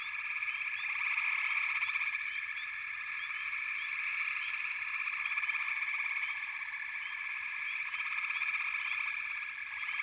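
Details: Chorusing frogs fill the air with a steady high, buzzy drone; loudness rises and falls gently while short rising chirps come in rapid, irregular succession.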